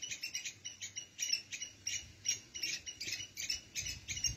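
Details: A squirrel squeaks continuously near red ants carrying food and eggs out of their nest: sharp, high chirps in short bursts, about three each second, on a faint rustling background.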